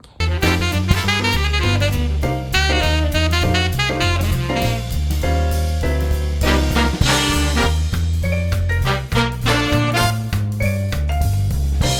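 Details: Lively swing jazz with brass and saxophone plays throughout, with no animal sound.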